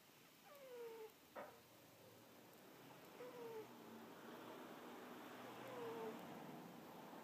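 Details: Pet cat napping, giving squeaky snores: three short, high, downward-sliding squeaks spaced about two and a half seconds apart over a quiet room hum.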